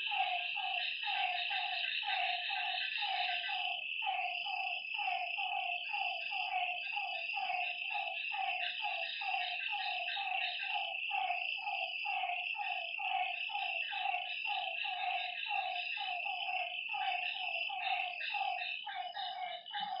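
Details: A night frog chorus at a lakeside, with repeated short croaking notes, often paired or overlapping, kept up for twenty seconds under a continuous high trilling background that fades slightly at the end.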